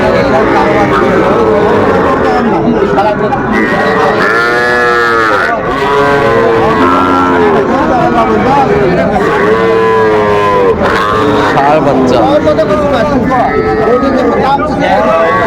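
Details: Crowded Bangladeshi cattle market on 11 November 2024, with young Sahiwal bull calves and heifers being collected by a Dhaka farmer: a dense chorus of overlapping moos, arching up and down in quick succession, beneath constant human chatter.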